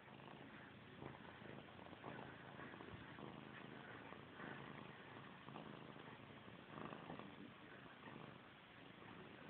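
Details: Pet cat Missy Grey, long obsessed with her tail, keeps up a sustained, rough purr for nearly ten seconds, a steady throbbing murmur with small irregular surges, amid household quiet and a person's voice urging her to stop.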